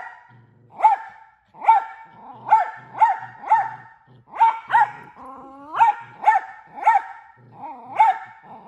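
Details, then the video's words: Miniature Australian Shepherd barking loudly and often, single sharp barks repeated roughly every half second, broken midway by a rising whiny vocalization before the steady barking resumes. "Loudest Barking Dog and Most Frequent World Record"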